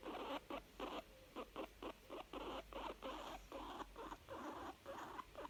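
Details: Young female guinea pig sounding content: quick rhythmic chut-chut pulses, soft and breathy, evenly repeated several times a second with short silent breaks.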